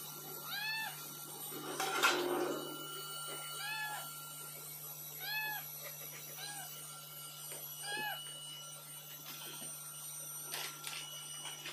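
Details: Hungry calico domestic cat meowing insistently for food, angry. About eight arched, nasal meows repeat every one to two seconds. A brief scuffing noise comes near the start, and a low hum runs throughout in a small room.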